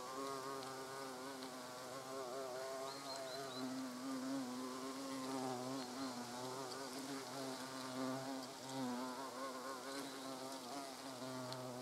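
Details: European hornets at their nest entrance: a steady, droning wing buzz with a low, rich hum that wavers slightly in pitch throughout, overlapping tones from several insects, and faint ticks and rustles in the background.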